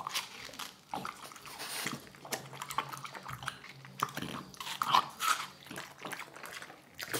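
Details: French bulldog eating watermelon indoors in a small room, with wet crunching bites and smacking chews in irregular bursts separated by short pauses.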